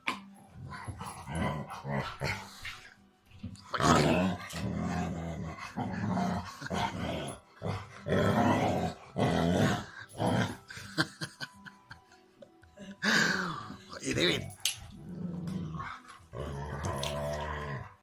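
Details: A black Labrador Retriever makes low, rumbling growls and strained, moaning vocal noises in uneven bursts while rolling around and chewing on his ball thrower in play.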